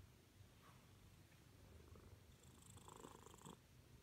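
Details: A Siamese cat, female, purrs as she wants attention, giving a soft, constant low rumble, slightly quieter, with a faint brief higher tone near the end.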